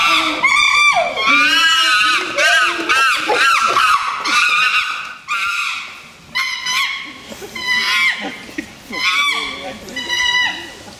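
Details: Chimpanzee aggression, ranging from mild threat to furious attack: loud, shrill, harmonic screams in repeated bursts about once a second, some rising and falling in pitch, separated by brief quieter gaps.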